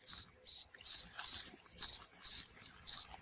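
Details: Wild cricket of North America chirping: bright, high, pulsed chirps, each a quick cluster of rasping pulses, repeated steadily about every half second, with a faint rustle in between.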